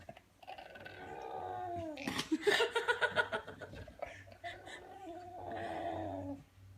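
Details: Bulldog making strange noises: a drawn-out whining moan that bends downward, then breaks into a rapid run of pulsed, throaty yelps before easing back into a wavering whine.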